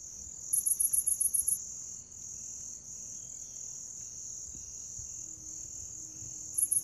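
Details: Grass insects, a sound offered to attract and please cats: a steady, shrill high drone runs throughout, with a quick burst of about eight bright pulsed chirps near the start and a few more at the very end.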